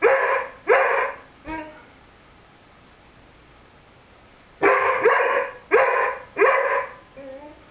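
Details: Lyle, a 5-month-old Rhodesian Ridgeback, vocalizing while playing with his squeaky chicken toy: short, harsh yelping howls in two bursts, three quick cries then a gap of about three seconds before four more, ending with a softer whine.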